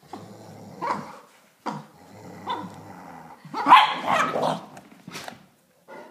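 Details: A Dachshund and a Greater Swiss Mountain Dog play-fighting in a tug of war indoors. Gruff barks and growls come in short bursts about a second apart, then a louder, rougher flurry of barking.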